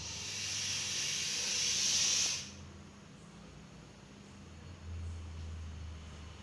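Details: Deadly venomous Russell's viper caught in Coimbatore, giving a loud steady breathy hiss for about two seconds that stops abruptly, leaving quiet background with a faint low hum.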